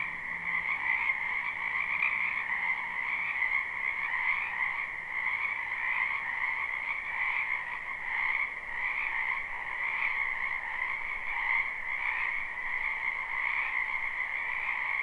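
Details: Many frogs croaking in a spring wetland, live recording: a dense, unbroken chorus of trilling calls in two steady bands, one mid-pitched and one higher, pulsing gently throughout with no other sounds.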